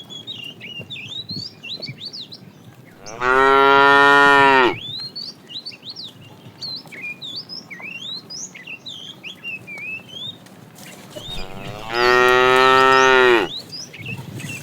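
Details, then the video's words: Afternoon herding of tame cows, with a fat cow calling the female: two loud, drawn-out moos about eight seconds apart, each lasting over a second with strong harmonics, while many birds chirp and whistle continuously between them. "The funny sound of a fat cow calling the female"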